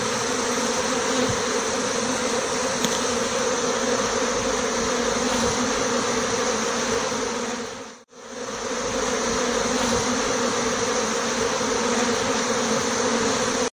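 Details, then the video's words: Swarm of honey bees departing a small six-frame hive with the queen, marked with a white dot; continuous loud, thick buzzing of many wings, steady and unbroken except for a brief dip in the middle. "Départ d'un essaim d'abeilles avec la reine"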